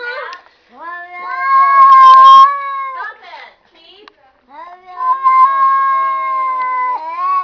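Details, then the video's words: Talking cats trade long, sustained, nasal yowls: one steady drawn-out wail that swells loudly, a short pause, then a second long, even yowl that tails off with a slight upward bend. "cats talking"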